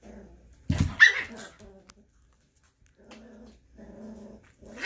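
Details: Scottish Terrier mother playing with her six-week-old puppy on Mother's Day, indoors: a sharp yelping burst, then two low, rumbling growls held about half a second each, separated by a quiet gap.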